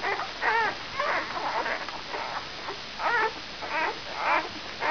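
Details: Five-day-old brown Labrador Retriever puppies from Benja's E litter give short wavering whimpers with a quavering pitch, about two per second in loose bursts, separated by brief quieter gaps.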